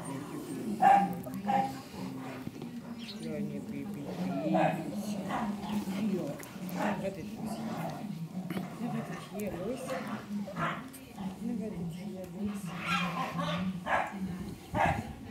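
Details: A litter of Cane Corso puppies at five weeks, 10 April 2011, whimpering and yipping almost without pause, thin high squeals rising and falling in uneven bursts, mixed with continuous quiet German talk.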